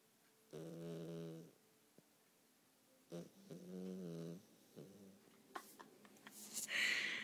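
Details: A pet dog sleeping and snoring, with two drawn-out nasal snores about two seconds apart, followed by a voice and some household clatter.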